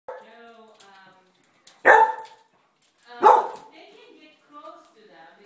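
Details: A 5-month-old puppy gives two sharp, high barks about a second and a half apart, barking at a painting of a cat in a dining room.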